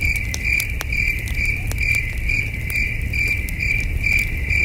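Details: Distant night-time cricket chorus at a peaceful wilderness campsite under the stars: evenly pulsed, shrill chirps about two per second, accompanied by occasional campfire crackles and a soft low background hum.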